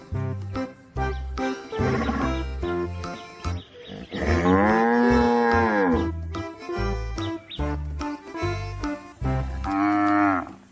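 A cow gives a long, deep moo that swells and fades, over steady background music.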